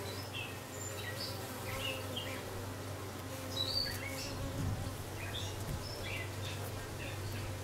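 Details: Honey bees around a new dark queen that has just arrived, 6/5/13: a continuous deep buzzing drone holds steady, with a few soft, high bird chirps dotted over it.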